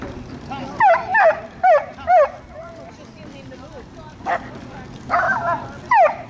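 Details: Welsh Corgi named John barking in short sharp bursts, two closely paired barks then another pair, a lone bark and a final pair over six seconds, with people talking in the background.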